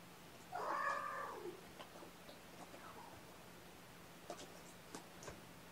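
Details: Sleepy domestic kittens waking gently from a nap, snuggled up with a person, on weigh-in night: one clear, drawn-out meow that rises and then slides downward, followed by a quiet room with faint scattered clicks and rustles.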